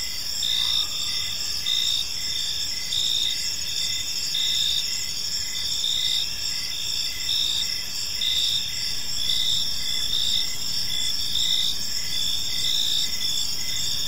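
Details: Crickets chirping through an evening in a peaceful park, a dense high trilling chorus of repeated short pulses, with a brief faint lower tone near the start and steady low background noise.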